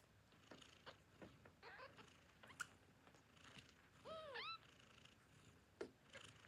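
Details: Hungry newborn kitten giving one short, arching mew with stacked harmonics around the middle, calling for its mother at nursing time; soft snuffling and suckling noises before and after.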